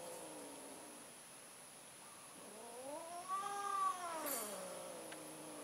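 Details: Cats mating, with an orange cat making another attempt: a low moan that swells into a loud, rising then falling caterwaul lasting about two seconds, fading to a quieter drawn-out whine.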